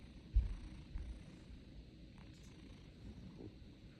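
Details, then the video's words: A cat snoring: soft, low rumbling breaths with a steady purr-like texture, one louder thump near the start, otherwise quiet and even. "snoring of cat"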